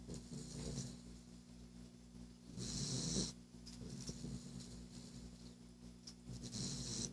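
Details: Boston terrier named Baxter snoring: low rumbling breaths with a steady hum underneath, broken by bursts of hissy, airy noise around the third second and again near the end.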